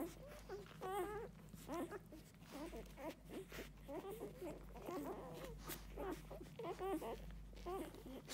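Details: Nursing Golden Retriever litter at six days old, pups pushing hard at the mother's milk: overlapping wavering squeals and whines in quick succession, about one cry every second, some sliding up and down in pitch, steady room hum beneath.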